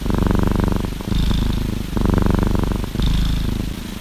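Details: Cuddling orange tabby cat shares a hoodie for warmth, purring deeply; a low pulsing rumble rises and falls with each breath, two cycles, light airy hiss between.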